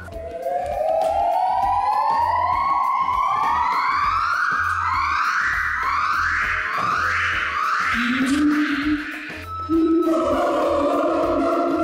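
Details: A siamang at a zoo gives loud whooping notes that climb in pitch and speed up, a territorial call telling other siamangs the area is theirs.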